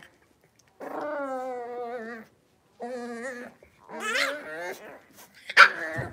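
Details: Blenheim Cavalier King Charles Spaniel puppies, a litter of five born at New Year's, in a home puppy pen after moving to a bigger pen. Two long, steady, tonal whines with a brief gap, then a wavering cry and a short sharp noise.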